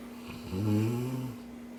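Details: A single drawn-out snore from a dreaming Cane Corso, a deep buzzing rumble lasting under a second and rich in low tones, set against a steady indoor hum.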